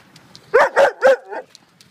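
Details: Great Dane playing with a tow strap: three quick, tonal, whining barks in close succession, each rising slightly, followed by a softer fourth, with faint background clatter.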